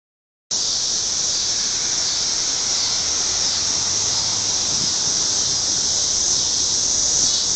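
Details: Cicadas in full song on a warm evening, singing together in a steady, high, hissing drone that never lets up.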